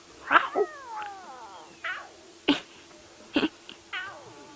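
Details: Lion cubs of the Nkuhuma pride give short, downward-sliding mewing calls, practising their roars with a few sharp knocks between. They are at sunrise on 13 September 2016, bellies full of buffalo, playing with sticks and ignoring their mother's calls.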